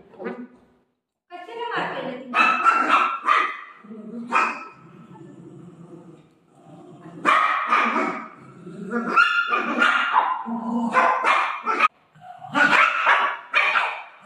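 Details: Golden retriever playing with its owner: bursts of excited, yelping barks and whiny yips in clusters, broken by short pauses, with a human voice talking and laughing throughout.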